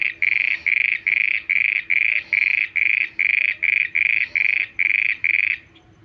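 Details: Night-time frog giving a steady series of loud, rasping pulsed calls, about thirteen short bursts in quick regular succession, then stopping; low background hum.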